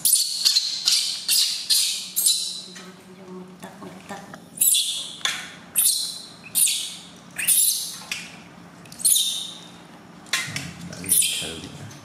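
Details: Newborn baby monkey crying very loudly during its first bath, gently washed by its new mother; shrill high squeals come in bursts, several per second, with short pauses between volleys, indoors.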